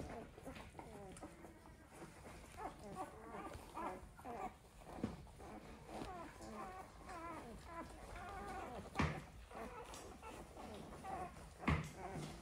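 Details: Black and Tan Coonhound puppies four days old whimper and squeak together in thin, wavering, overlapping whines.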